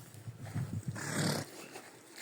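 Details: A pet donkey brays in a yard, prompted to 'sing': low, rough pulses build into a loud, harsh blast, then fade.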